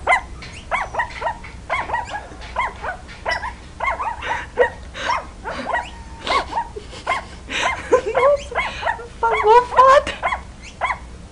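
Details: Several puppies yap over one another in dense, overlapping bursts, ending with a higher, drawn-out whining yelp near the close.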